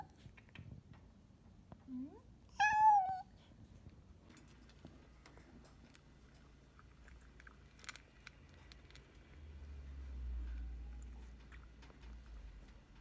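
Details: A rescued former stray cat named Mitaro gives a short chirp, then one clear descending meow, followed by about ten seconds of quiet shuffling and low rumbling.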